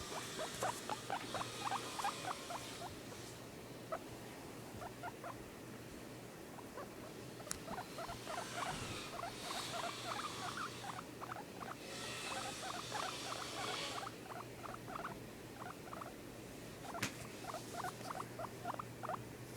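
A guinea pig gives rapid bursts of short, high squeaks and chirps, with a steady background hum.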